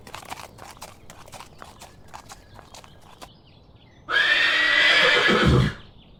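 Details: Horse walking with clip-clopping hooves for about four seconds, then one loud, harsh neigh lasting under two seconds that rises and falls before ending abruptly.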